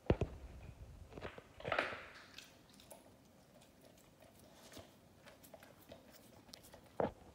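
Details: An Australian Shepherd crunches on leftover Thanksgiving turkey bones, with sharp bites near the start, around two seconds and again at seven, and quieter gnawing between, indoors.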